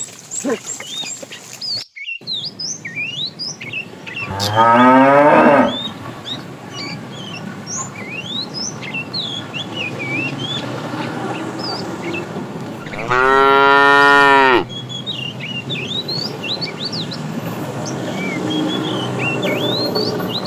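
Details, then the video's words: A herd of tame cows roaming a road looking for food; two loud harmonic moos, one short near the start and a longer one mid-clip, over constant chirping and whistling birds in the background. "Funny cow sounds"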